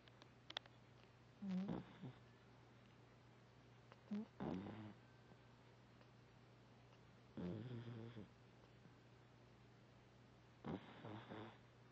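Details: A Vizsla puppy snores while resting after a big play session. Soft, low, rasping breaths come roughly every three seconds in a quiet indoor room with a faint steady hum.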